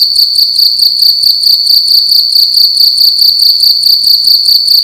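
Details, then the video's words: A cricket indoors in a room at night, chirping loudly: a steady high-pitched trill pulsing in quick regular beats, about two pulses per second, with a faint low hum beneath. "Cricket making loud sounds at night in a room"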